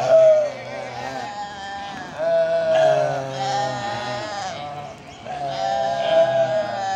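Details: Goats chilling and playing together, giving loud quavering bleats that rise then fall, three long calls spaced about every two to three seconds, with voices talking in the background.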